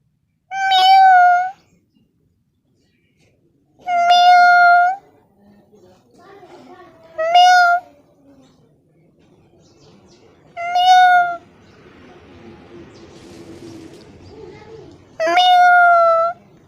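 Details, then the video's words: Kitten meowing loudly inside a small room: five clear, high, slightly falling meows, each under a second long, spaced about three seconds apart, with soft rustling and handling noise between them. "cute funny kitten sound"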